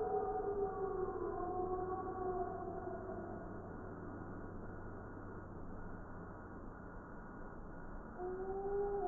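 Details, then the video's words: Multiple gray wolves in a group howl, recorded in Wisconsin in December 2019; faint layered drawn-out howls that slowly fall in pitch, a quieter gap, then a new pair of voices rising near the end over low background hiss. "Spectogram of wolf chorus howls"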